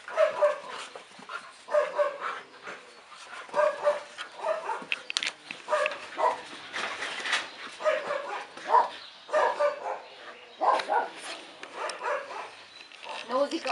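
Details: Two dogs named Nózi and Vidra playing together, giving repeated short growling and grumbling vocalisations in bursts about every second, with rustling movement between them.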